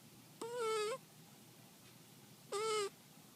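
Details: Shiloh, a sleeping cat, snoring: two whistle-like nasal tones, each about half a second long and nearly level in pitch, about two seconds apart over a quiet background.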